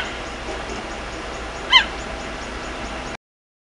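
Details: A cheetah mother frantically calls her cubs with a single short, high, bird-like chirp over a steady hiss, in the bush.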